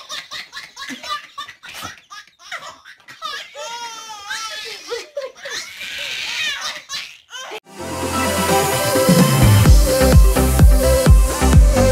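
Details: Voices and bubbling laughter in a small room give way to loud rhythmic music with a heavy beat.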